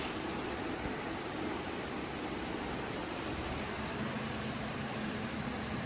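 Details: A steady broadband hiss and low rumble, like a vehicle or air conditioning, fills the whole recording with no animal voice.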